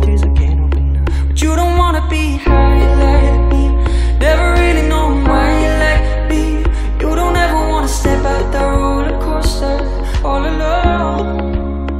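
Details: Steady pop-style music with sung vocals and layered instruments fills the whole stretch, with a brief dropout near two and a half seconds and no animal voice anywhere.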